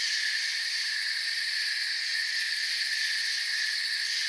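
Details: Night-time forest crickets in soft continuous chirping, several shrill stacked trilling bands holding steady with no pauses or breaks, the whole chorus even in volume and free of other distinct sounds.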